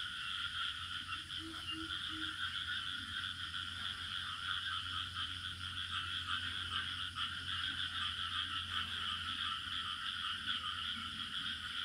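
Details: Crickets in village surroundings, a steady unbroken shrill drone at two high pitches throughout, with a few short low frog croaks near the start and a faint low hum underneath.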